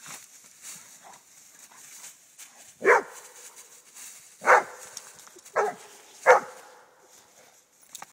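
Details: Rhodesian Ridgeback father and son play fighting: four short, loud barks spaced one to two seconds apart, rough and broadband, with low growly noises and quieter scuffling between them.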